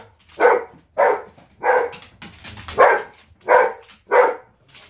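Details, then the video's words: Female Giant Schnauzer called Zero throwing an indoor fit after being kept out of the kitchen; six strong barks spaced roughly a second apart, with softer grumbling noises between them. "Giant Schnauzer hissy fit"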